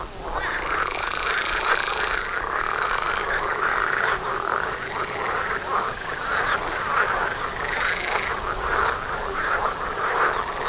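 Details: Chorus of many frogs outside a house door during mating season, a steady wall of rapid rattling croaks with layered higher harmonics, slightly swelling and fading without pause.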